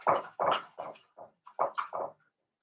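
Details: A rapid string of about seven loud, rough yelps and squeals from Blenheim Cavalier King Charles Spaniel puppies, part of a New Year litter of five in a home puppy pen, each cry short and falling, fading out after two seconds.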